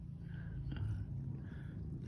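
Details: A pet cat being massaged and stroked to help it sleep purrs steadily, a low continuous rumble with a soft throbbing texture throughout, quiet and close, with faint indoor background.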